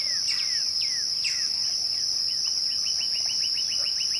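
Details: A shrill, unwavering twilight cricket trill runs beneath a few sharp descending whistles. These give way to a quick even series of short chirps from another caller.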